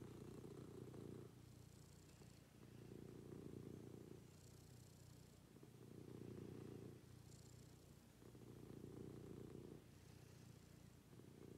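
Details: Domestic cat purring steadily in the morning beside its owner; soft low rumbles rise and fall with each breath, roughly every three seconds, with faint breathy hiss between cycles and no other sounds.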